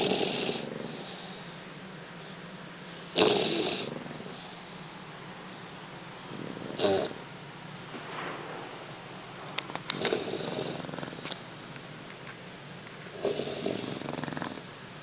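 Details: Two English Bulldog puppies snoring while napping: rough, breathy snores come at uneven intervals, some louder and raspier than others, with quiet breathing in between.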